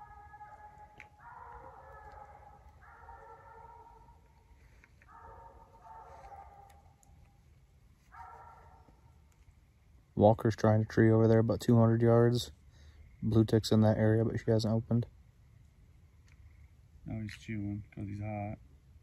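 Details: Treed raccoon bayed by Bluetick and Walker coonhounds on a night coon hunt; faint far-off howls at first, then loud close bawls in three bursts, each a rapid run of pulsing, chopping barks lasting one to two seconds.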